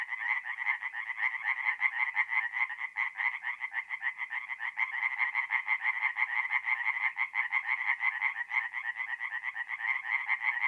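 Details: Night chorus of tree frogs at a forest pond, north-east Italy, mid-April. Many overlapping, fast, nasal croaks pulse steadily without pause, a continuous rattling wall of calls with no other sounds.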